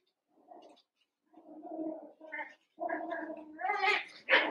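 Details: Cavalier King Charles Spaniel puppies, one month old, eight together in an indoor pen, wrestling and playing: low rumbling growls build into rising, harmonic whines and squeals, with short pauses between bursts.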